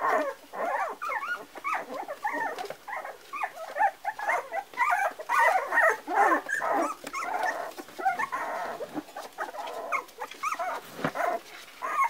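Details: Several Parson Russell Terrier puppies, four weeks old, keep up a busy chorus of high, wavering whines and squeaks, overlapping calls arriving about twice a second with brief pauses and a few clicks and knocks.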